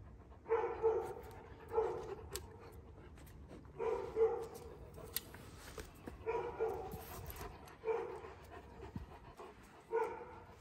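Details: Kangal dog puppies, one year old, recorded in Alanya, Antalya province, Türkiye, on 21 September 2024, barking repeatedly, a single or double deep bark about every two seconds, steady and fairly loud, with faint rumble beneath.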